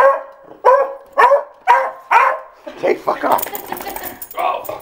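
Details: Pet beagle indoors barking at the postman, whom it dislikes: five loud, sharp barks about half a second apart, then a jumble of further barks mixed with rustling and a person's voice.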